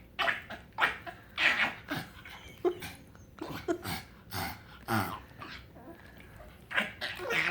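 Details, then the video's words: Happy pug Frank making weird noises indoors: a run of breathy snorts and squeaky grunts, irregularly spaced, some with short whining tones, in a small room. "Frank the Pug makes strange sounds when hes happy!"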